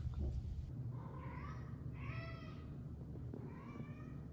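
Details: Annie, a pet cat, carries her toy fish in her mouth between 1 and 1:30 am during her nightly hunting routine, giving a series of muffled, rising-then-falling meows and chirps over a low indoor hum.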